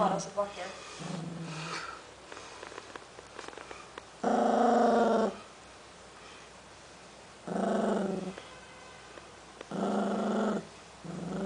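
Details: An 11-week-old Cavalier King Charles Spaniel puppy guards a new snack it won't share, giving three voiced, harmonic grumbling growls of about a second each, separated by quieter stretches with faint indoor sounds and some speech.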